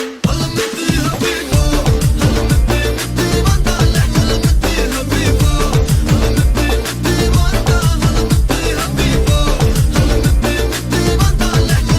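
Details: Loud pop-style music with a driving beat, heavy bass and singing plays throughout, with no animal sounds.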